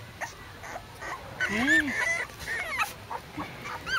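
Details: Red male Pembroke Welsh Corgi puppy at a breeding kennel, filmed 10 September 2014, giving thin high whimpers and squeaky rising-falling whines in a cluster mid-way, with a woman talking softly.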